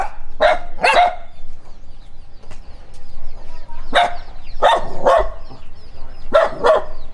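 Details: Dog reacting to a stranger, running while barking: paired sharp barks in bursts separated by short pauses, each pair quickly repeated, over a faint low hum.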